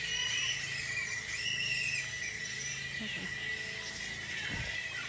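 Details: A bat colony of about a thousand animals fills a tropical Sunshine Coast park in Queensland, Australia, with loud overlapping screeches and chattering squeals. Brief scuffing and handling sounds are heard near the end.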